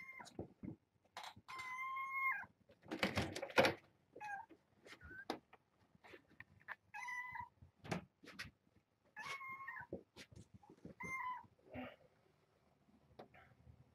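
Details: Mother cat Ros, a surrendered foster cat with her three kittens born January 19th, at breakfast time with a lot of noise outside; a series of short, clear tonal meows, some bending slightly, separated by clattering knocks and thumps.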